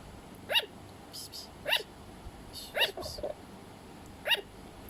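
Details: Pet sugar glider making sound: short, sharp barking yaps with bright overtones, several spaced irregularly over a few seconds, against quiet background hiss.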